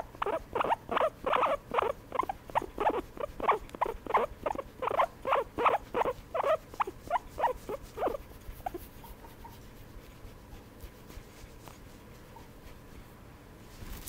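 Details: During a massage, a guinea pig makes rapid, rhythmic, husky pulsed notes for about eight seconds, roughly three per second, then falls quiet apart from faint soft rustling and low room noise.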